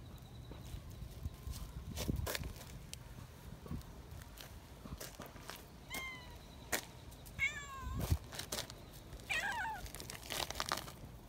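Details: Young community cats, friendly and excited while being held, give shrill screeching meows: three bursts of bent, falling harmonic cries late in the passage, the middle ones repeated quickly, over rustling handling noises and soft thumps.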